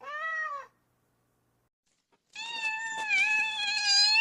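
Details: Kittens meowing: a short arched meow, a pause of over a second, then a longer, louder, wavering and strained meow that climbs in intensity toward the end.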